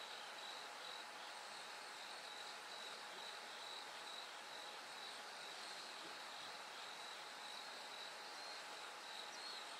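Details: Bell cricket at night into early dawn, repeating a delicate high-pitched chiming pulse in a steady rhythm, with continuous broadband hiss filling the background.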